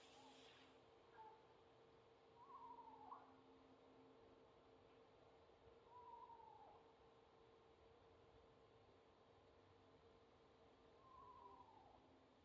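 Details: A Central Asian Shepherd Dog gives faint, drawn-out whines that slide downward, a few seconds apart; the noise is likened to a crying horse.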